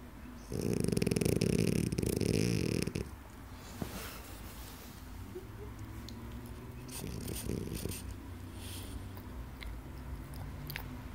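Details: French Bulldog asleep, giving one loud rattling snore lasting about two and a half seconds, followed by long stretches of soft, quiet breathing and faint room noise.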